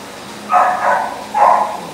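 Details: Male Husky boxer mix dog giving two hoarse, drawn-out barks about a second apart, the second shorter, over a low steady background hum.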